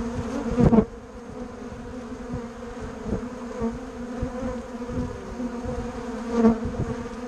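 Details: Bumble bees and honey bees buzzing together, a steady low droning hum with layered harmonics, swelling loudly as a bee passes close near the start and again briefly toward the end, with faint soft knocks underneath.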